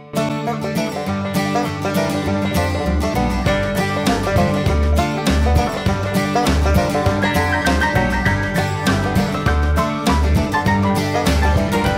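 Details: Lively plucked-string country music with banjo and guitar and a steady beat plays throughout, with no animal sounds.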